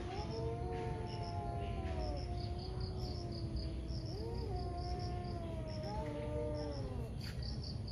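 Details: Two ferocious cats squaring off in a morning fight: long, tense, warbling yowls that hold steady, then swoop up and down in repeated undulating waves, with constant low noise and high chirping behind.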